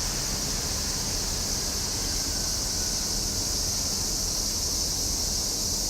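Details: Continuous high, shimmering buzz of summer cicadas holding level without any rhythm or breaks, over a soft low rumble.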